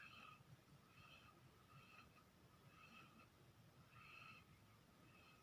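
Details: A sleeping dog snores in faint, whistly puffs, five or six short tonal wheezes spaced about a second apart over quiet background hiss.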